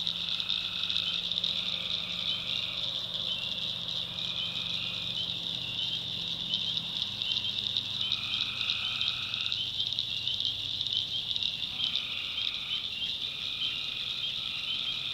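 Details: North Carolina swamp at night, full of tree frogs: a constant piercing chorus with lower trills of one to two seconds starting and stopping at intervals, several overlapping, plus a soft low hum beneath.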